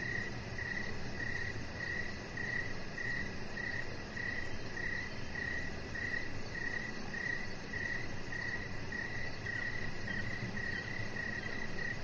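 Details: Crickets chirping in the evening near a deck with decoration lights: short mid-pitched chirps repeated about twice a second, steady and even, over a fine high pulsing trill and a constant low rumble.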